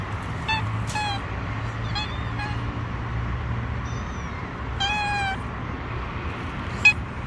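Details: Wary stray kittens on a city street mew repeatedly, thin rising-falling cries in quick clusters, one bright harmonic meow near five seconds, with constant low vehicle hum beneath.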